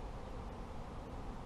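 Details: Honey bees at a beginner beekeeper's apiary: a steady, dense, low hum of many insects with no breaks, heavy rumble in the lowest range, and no other clear sounds.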